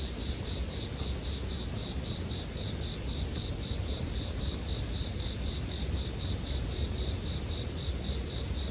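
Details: Continuous high-pitched ringing of bell crickets layered with a crackling campfire; the shimmering tone never pauses, with an occasional snap and a faint low hum beneath.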